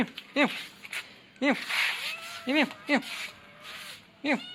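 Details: Young male cat giving short, sharp arched mews, five calls spaced irregularly about a second apart, each rising then dropping quickly; faint steady tones in the background.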